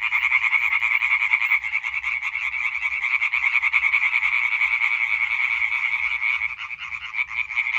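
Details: Chorus of European tree frogs, 20 May 2023: many males croaking together in a fast, pulsing rattle that never stops, slightly dipping near the end.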